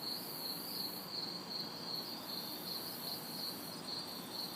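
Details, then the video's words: Hot summer night in a city backyard with crickets and cicadas: rhythmic bright chirps, about two to three per second, layered on a continuous high buzz, light traffic murmur far in the background. "Summer Night Sounds ~ Crickets, Cicadas"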